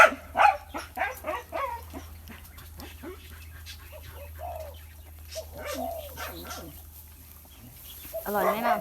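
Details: Playful Bangkaew puppies nearly one month old: a burst of short high yelps and whines opens and closes the passage, with a woman talking in Thai in between.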